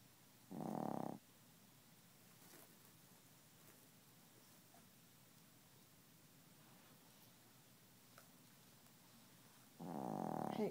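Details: Sleeping Chihuahua that keeps snoring without waking: two brief buzzy snores roughly nine seconds apart, with soft quiet breathing and low room hiss in between.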